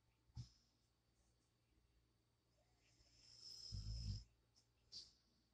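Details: Sleeping pet dog, whose snoring is said to be really loud in person: a brief snort of breath at the start, then a rasping low snore swelling near the four-second mark, with soft airy hiss between breaths.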